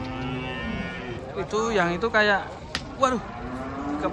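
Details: Giant cattle unloaded from a truck one morning give short, throaty moos, two close together mid-clip and a brief one after, rising then falling, over a background of murmuring and a sharp knock.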